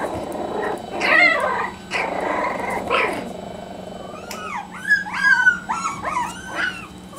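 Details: Parson Jack Russell Terrier puppies from a litter aged three and a half weeks: rough growly squeals first, then a run of high, bending, whistled whimpers and yips that rise and fall, several in quick succession.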